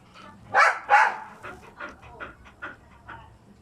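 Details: A lively pet Aspin dog barks twice loudly in quick succession, then continues with a run of smaller, softer yapping barks fading over the next few seconds.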